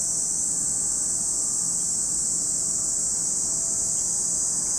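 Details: Cicadas calling at Lake Kamo in Sado City, Niigata Prefecture, Japan: a dense, unbroken high hiss that holds steady at the same level for the whole stretch, with no clear pauses and a soft low rumble underneath.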